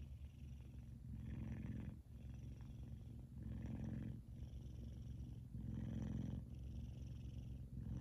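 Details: Male F2 Savannah cat Kumba asleep and purring happily indoors: a thick, low buzzing rumble in slow breath-paced surges roughly every two seconds, with slight breathy noise on alternate phases.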